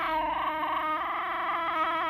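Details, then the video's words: Chihuahua being scolded for peeing, giving a sustained, wavering, whiny cry with a rich ladder of overtones, steady in loudness and unbroken for about two seconds. "GUILTY CHIHUAHUA"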